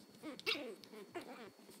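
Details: Angry Chihuahua puppy learning to bark: two short, high, yelping bursts with a whiny edge, about a second apart, and faint human voices nearby.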